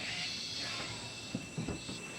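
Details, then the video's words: Cicadas in Costa Rican rainforest give a steady, high buzzing drone without a break, heard from a camper with howler monkeys, toucans and frogs also around. "cicadas. That's the cicada that you can hear right now."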